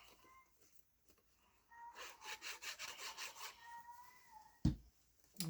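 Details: Cat (Felis catus), whining: a very old male cat, possibly senile, gives drawn-out, tonal wails while lost in the house, over rhythmic rubbing and scraping noises.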